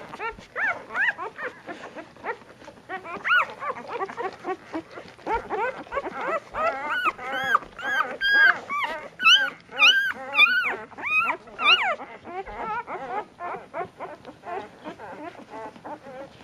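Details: Puppies fighting over nursing at dinner time, with two mocha-coloured runts of the litter battling so as not to share their mother; loud, shrill, rapidly repeated arching squeals and yelps, peaking in intensity midway, then softer whimpers.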